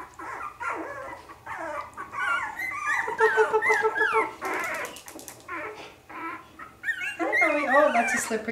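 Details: Three-week-old Havanese puppies whining and squeaking indoors, a crowd of short, bending cries, a few soft clicks, and a swelling chorus of wavering squeals toward the end, with a person's voice mixed in.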